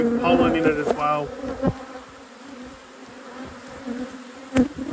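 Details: Honey bees in an apiary during a hive inspection: a steady low droning hum holds throughout, with a man talking over it in the first second and a few sharp knocks and clicks from handling the equipment.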